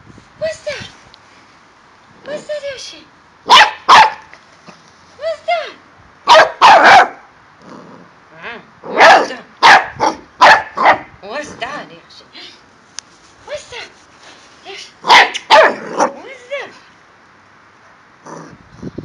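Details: A male corgi in Milton Keynes, UK, born October 2012, plays with his balls, giving short, sharp barks in irregular bursts with a person talking in between.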